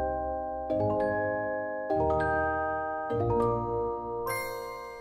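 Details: Bright mallet percussion like a marimba or glockenspiel plays sustained chords that shift about every second, with no animal voice heard.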